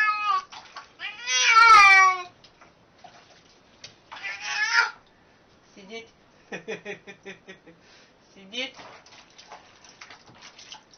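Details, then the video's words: Talking domestic cat giving two loud, strained meows that bend downward in pitch, then quieter broken chirps and short vocal fragments, with a person's voice mixed in. "Funny Talking Cats"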